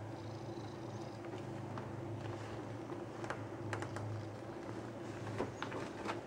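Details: Fat male Siamese cat named Shrek, a pet indoors, demanding to be stroked by its owner: a low, steady, rumbling purr running throughout, with a few sharp clicks and taps over it.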